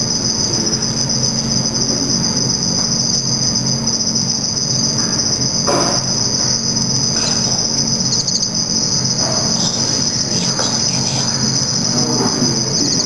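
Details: Black field crickets (Teleogryllus oceanicus) kept for a study and observed at night under red light during mating and aggression. A steady, high, shimmering trill runs throughout, with faint clicks and soft background noise beneath.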